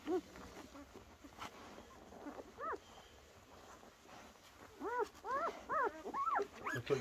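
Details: Week-old German Shepherd puppies indoors in a whelping box, giving soft, arched, whining squeaks in short bursts, several in quick succession near the end, over a quiet background hum.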